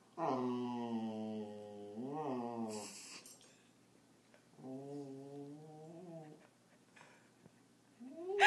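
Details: Lazy Bernese Mountain Dog puppy lying down, grumbling at being filmed: two long moaning whines with a brief rising warble between them, a quiet pause, then a rising yelp at the end, indoors.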